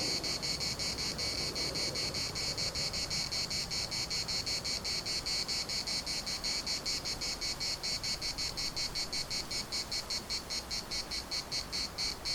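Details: Cicadas singing in the municipal park at Larnaca, their high-pitched rasp pulsing rapidly and continuously, with a low rushing background like wind underneath.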